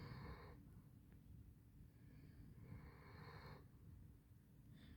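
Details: Snoozing Basset Hound called Handsome Jack, drawn-out hoarse snores, one at the start and a longer one a few seconds later, with low steady hum underneath.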